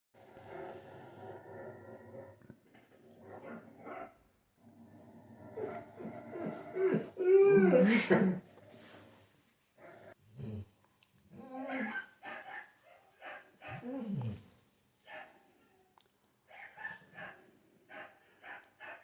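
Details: A Labrador Retriever howls like a wolf in drawn-out, arching wails while watching other dogs on TV, with television sound and voices in the background.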